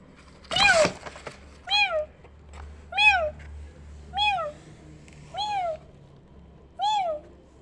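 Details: Kittens reacting to a meowing sound like their own: after a loud, harsh burst at the start, five clear, high, arching meows follow, each rising then falling, spaced a little over a second apart, with low background hum.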